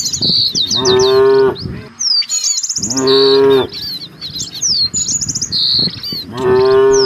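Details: Herd of village cattle seeking fresh grass, lowing three times at roughly two-second intervals, each moo steady and rich in harmonics, while small birds chirp busily in the background.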